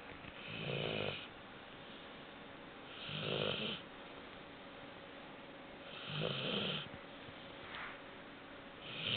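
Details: Four-month-old Labrador Retriever puppy snoring in its sleep: rasping breaths repeated about every three seconds, each a short noisy burst with a hissing upper edge, steady quiet room between them.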